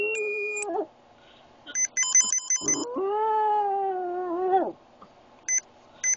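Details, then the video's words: Boston Terrier Oscar, a clingy epileptic pup, howls along to a beeping phone ringtone indoors: one long, steady, mid-pitched howl of almost two seconds that bends down at the end, after a short yelp-like sound. "Making Oscar howl"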